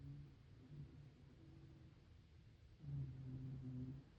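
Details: Shiba Inu named Hime, one year old, snoring while asleep: low rumbling breaths with a soft tonal hum, quieter at first, then a louder, steadier snore over the last second and a half.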